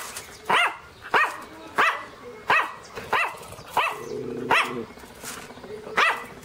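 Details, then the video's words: {'text': 'Angry loud barking from Teco, a Pinscher: about seven sharp, high yaps spaced roughly every two-thirds of a second, with a brief whine between them.'} "pinscher latindo bravo - pinscher latindo alto - cachorro pinscher latindo"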